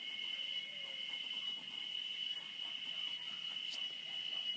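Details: Cicadas that arrive and sing here every year give a steady, shrill, unbroken buzzing drone on one high pitch, a song locally said to be asking for rain.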